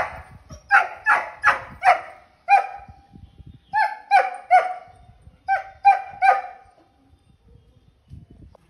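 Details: German Shepherd named Galaxy, filmed 6 June, giving twelve loud, harmonic barks in three quick bursts of five, four and three, each bark falling in pitch, with brief pauses between bursts and soft low background rumble.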